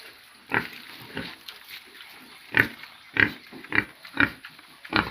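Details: Pigs on a farm giving short, rough grunts in separate bursts, about seven over five seconds, unevenly spaced with brief quiet gaps between them.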